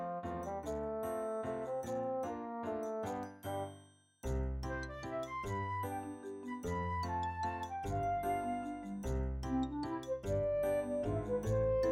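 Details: Gentle tinkling children's music with bell tones and soft bass, briefly fading out midway, with no animal voice present.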